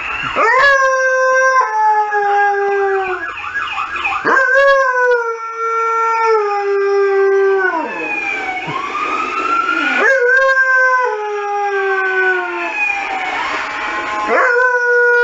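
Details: Saluki howling at passing emergency services sirens, giving repeated long howls, each starting with a sharp rise then holding a level, slightly falling tone for two to three seconds, about four howls, with a wailing siren sweeping between them.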